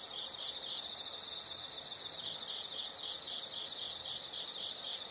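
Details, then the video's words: Insect sounds for relaxation: short clusters of quick high chirps, three to five pulses each, separated by brief gaps, with a continuous shrill band and faint hiss beneath. "the sound of insects"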